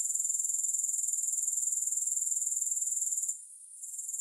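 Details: Grasshoppers giving a fast, regular high buzz of pulses, around four per second, which fades abruptly after about three seconds and then creeps back quietly.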